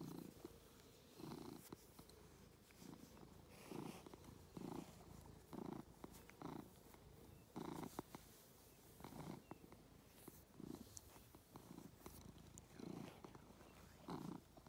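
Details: A domestic cat on a farm in County Kilkenny, Ireland, purrs steadily while enjoying attention: a low rumbling pulse that swells with each breath.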